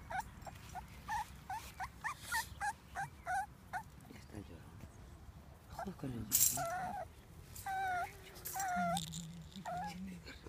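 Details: Cavalier King Charles Spaniel crying: a run of short, rising, whistled whines repeated roughly every half second, then a few longer, lower drawn-out whimpers, with clicks and a person speaking softly nearby.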